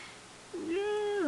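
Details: Domestic cat giving a single drawn-out meow, steady and tonal with rich harmonics, ending in a brief rising-falling inflection; low room hum underneath.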